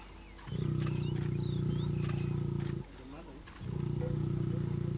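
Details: A lion gives two long, deep, rumbling roars during mating in the Masai Mara, Kenya, with faint bird chirps behind; Lion.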